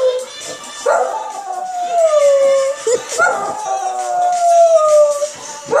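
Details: West Highland White Terrier, a pet male, howling when he hears Sam Smith; long wavering howls sliding downward, two main drawn-out notes, with music and people talking in the background.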